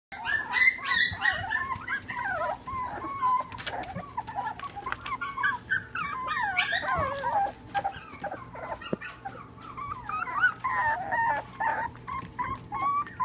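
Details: Tiny puppies of small breeds such as Yorkies, Maltese, Shih-Tzu and mixes, kept indoors in a puppy nursery in Huntington Station, giving a busy chorus of high, wavering whines and sharp yips, several voices overlapping, steady low hum behind.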